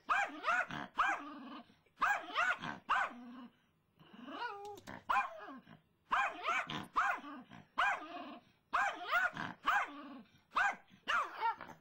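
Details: A female dog called Brittany, worked up over a squirrel in the front yard, gives clustered hoarse barks, then a drawn-out whining yowl midway, then more rapid barking bursts.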